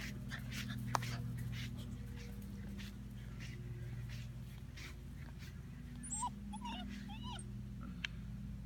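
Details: European Basset Hound puppy, female, six and a half weeks old, giving a few short high whimpers and yips that rise and fall, mostly late in the stretch, over steady low hum and soft handling noises.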